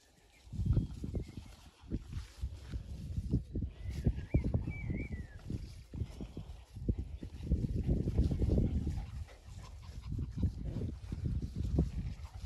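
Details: Playing Cairn terriers, a mother, aunt and uncle aged from 7 weeks to 2 years, trade low, rumbling play growls and snorts in quick, uneven bursts.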